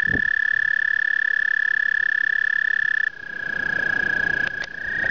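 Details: Spring breeding chorus of American toads during their 2010 migration: long, even, buzzy musical trills at a steady high pitch, one trill fading at three seconds as another carries on, with faint rustling and a low rumble underneath.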